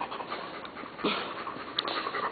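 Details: Jet black Labrador Retriever eager for tomatoes, being told to sit: steady fast panting, breathy and noisy, with a brief louder puff midway.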